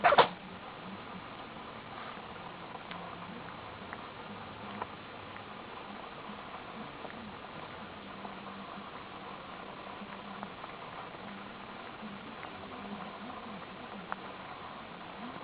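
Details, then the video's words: Nana, a Pomeranian, gives a single sharp sneeze at the very start, a short explosive burst, followed by steady low indoor hum with a few faint clicks. "ポメラニアンなな くしゃみ"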